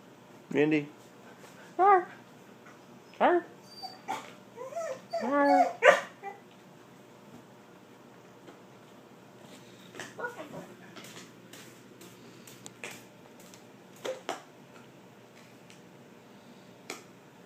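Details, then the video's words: Border Collie 'talking' and 'laughing': a run of short whining, yowling vocal bursts with rising and falling tones in the first six seconds, then quieter scattered clicks and faint sounds over a soft room background. "border collie talking laughing"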